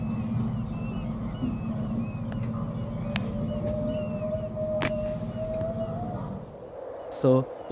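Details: Humpback whale song picked up by a boat's sonar: a drawn-out tonal moan rising slowly in pitch over a steady low engine hum, recorded close to eleven humpbacks feeding while hundreds of birds converged on them.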